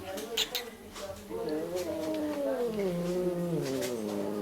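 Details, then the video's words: Grumpy female cat in an animal shelter in Germany, "talking" and commenting as she usually does; one long drawn-out, wavering meow with rising then falling pitch, starting after a brief quieter sound, over a low steady hum. "Sina, A Grumpy Lady ("talking" cat)"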